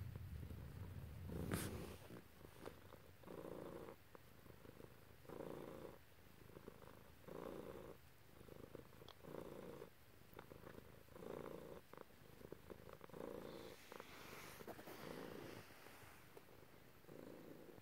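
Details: Domestic cat purring during petting by its owner, with two cats present, a black one and a grey one; long run of rhythmic rumbling purr, swelling roughly every two seconds, with an early thump and brief rustling later.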